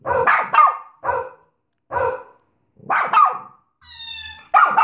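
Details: Bichon Frise barking steadily about once a second, short bright yaps with a brief high whine between the last barks.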